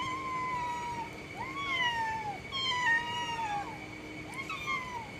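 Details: Domestic cat giving a run of short harmonic meows, several bending upward then sliding down, about four calls in five seconds, with a steady faint tone humming underneath throughout.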